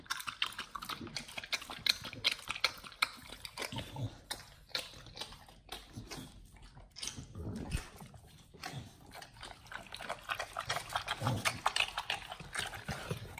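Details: Pit Bulls eating a raw combo of beef trimmed chunk, quail egg and duck wing, close ASMR recording: wet crunching and smacking bites, irregular, about two to three per second, sharp crackling bursts between softer slurping chews.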